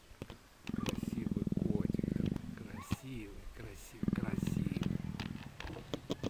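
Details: Affectionate Persian leopard rubbing up and nuzzling, producing two steady, deep, throbbing purr bursts about two seconds long, separated by a gentle human voice speaking softly.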